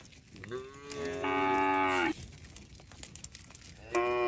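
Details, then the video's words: Cattle in a herd roaming on a road: a rising moo around half a second, then a long loud harmonic moo held about a second, and another moo starting near the end, with faint clicks between. "suara sapi bunyi"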